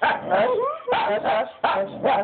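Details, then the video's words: Pet dog vocalizing its disapproval as the owners stroke the cat: three loud bursts of moaning, yodel-like talking noises, each with two wavering syllables, separated by short pauses. "Jealous dog talks for five minutes"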